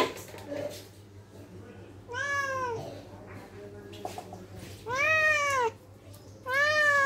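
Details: ['Angry house cat indoors letting out three long wailing meows with arched harmonics, the last two close together, over a constant low electrical hum and faint background speech.']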